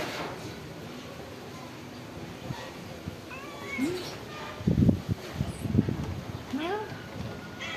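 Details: Stray cats living at a pagoda, fed rice and fish, give several short rising-falling meows in the second half, mixed with a person talking and steady background rumble.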